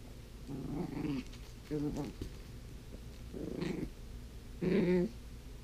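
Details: Toph, a blind female puppy, playing with her toys indoors: four short bursts of low, throaty growling and whiny grumbling about a second long each, separated by quiet pauses, with faint rustling between.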